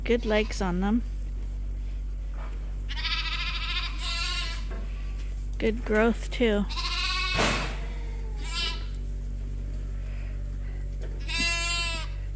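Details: Lambs on a farm, still on their mothers but topped up twice daily from a hand-made bottle feeder, give several wavering, harmonic bleats scattered through the recording, mixed with a person talking and a steady low hum.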